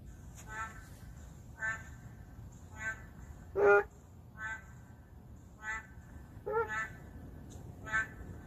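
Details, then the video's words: Endangered narrow-mouthed frogs calling in the middle of a city: faint, nasal, harmonic croaks repeated roughly every second against a low background hum. "맹꽁이 울음소리"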